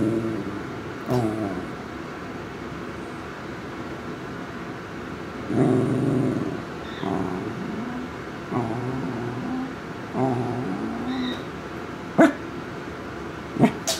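A corgi grumbles in low, throaty bursts, each voiced rumble rising and falling briefly.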